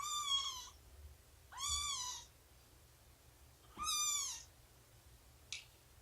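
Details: Cat at morning snuggle, nursing and play time with Shelby, an abandoned mother estimated two years old; three high, drawn-out mews with bowed, arching pitch, about two seconds apart, then a short faint squeak, against a quiet indoor background.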